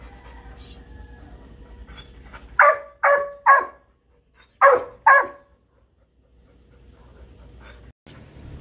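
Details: Golden Retriever puppy and Shih Tzu puppy, friends in a home with three dogs: five sharp, high yappy barks in two quick bursts, three then two, in a quiet room, followed by a soft click.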